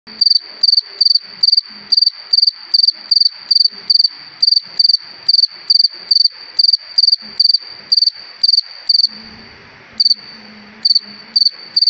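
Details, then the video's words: A cricket on a summer evening gives a steady run of high, shrill chirps, about two or three each second. "Cırcır Böceği Ötüşü"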